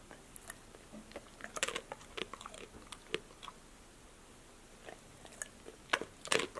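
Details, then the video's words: Passport, a female pet dog, chewing healthy snacks such as apple slices, lettuce, sunflower seeds in the shell, tomatoes and green beans indoors; sharp crisp crunches and bites come in irregular bursts, clustered near the start and end, separated by quiet gaps. "DOG eats crunchy snacks"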